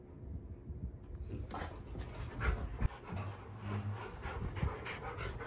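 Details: Rottweiler panting beside a six-pound newborn baby on a family ranch, quick rhythmic breathy puffs with a few sharp clicks and low thumps, quiet household background.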